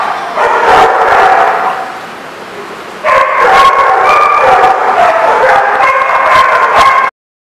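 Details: A pack of dogs at The Barking Lot, 30 June 2014, erupts in yapping and whining. The barking fades to a quieter murmur after two seconds, bursts back at three seconds with shrill overlapping yips, then cuts off abruptly.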